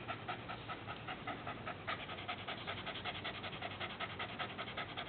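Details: A dog panting hard while someone plays with its tongue; quick rhythmic breathy huffs, about two and a half per second, steady and even throughout.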